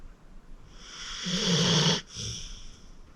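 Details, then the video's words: Acorn, a 14-year-old rescued senior pit bull, sleeping deeply and snoring: one long rasping inhalation swelling over about a second, then a sharp cutoff and a softer breathy exhale in a quiet room. "Acorn Sleeping - Relax with a Snoring Senior Dog"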